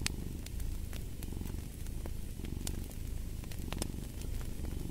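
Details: Cat purring in a deep, even rumble with gentle rises and falls, accompanied by frequent crisp crackles from a fireplace.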